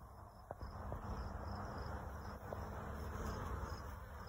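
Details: A dense, steady hum of many honey bees buzzing together in a swarm from an escaped hive, recorded close up.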